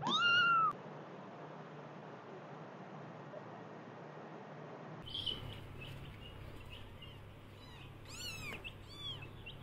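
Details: Kittens meowing: one loud, clear arched meow opens, then after a pause several thinner, higher meows overlap in quick succession over a steady background hiss.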